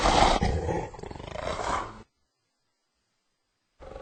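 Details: Hyena. A hyena lets out a loud, rough, roaring growl with a gritty, pulsing texture. It cuts off suddenly, and after a pause of silence another burst begins.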